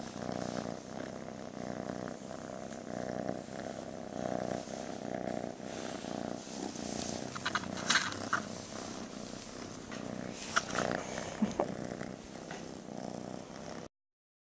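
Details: Purring of a rescued, loving female kitten held close; a steady throaty rumble swells and fades with each breath, with a few rustles and handling sounds before it ends abruptly.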